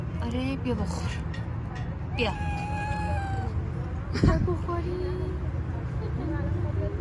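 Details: White street cat, one of many strays petted outdoors, utters several clear wavering meows, some long and level, over constant low traffic hum, with a person talking nearby.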